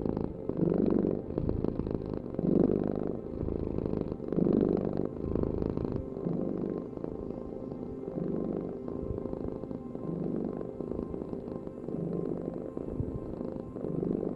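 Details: Cat purr, a deep steady rumble rising and falling with each breath, most pronounced in the first seconds and softer and more even later on.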